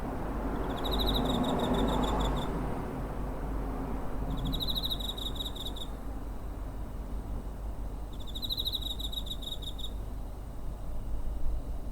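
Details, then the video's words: Cricket chirping near a home, recorded 7 September 2023 on a TASCAM DR-05 handheld recorder: three high, pulsed trill bursts of nearly two seconds each, spaced about four seconds apart, over a steady low rumble. "Cricket chirping (コオロギの鳴き声"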